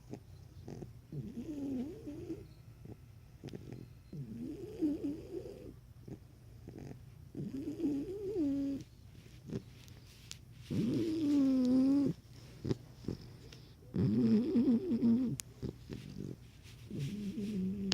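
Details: Cane Corso puppy named Kenya asleep and snoring loudly: rough, rasping breaths with tonal whine-like overtones, each lasting one to two seconds and repeating about every three seconds in uneven rhythm, some breaths much louder.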